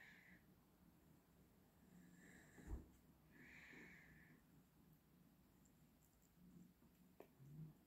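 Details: Domestic cat lying relaxed indoors after eating dry food, purring softly: a faint, low, steady rumble running through most of the stretch in gentle waves, broken by a single sharp knock and a few small clicks in a quiet room.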